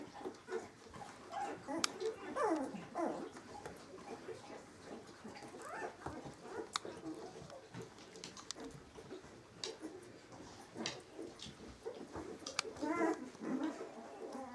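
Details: Eighteen-day-old Samoyed puppies giving soft, wavering whimpers and squeaks at intervals over a busy, rustling background with faint clicks.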